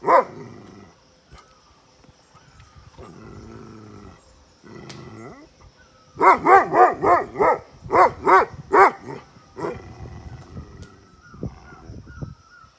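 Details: Tibetan Mastiff (Bhote Kukur) kept at a kennel in Okhaldhunga, Nepal: soft low growls and whines at first, then a run of about eight deep, rapid barks, then quieter grumbling with a thin steady high tone behind.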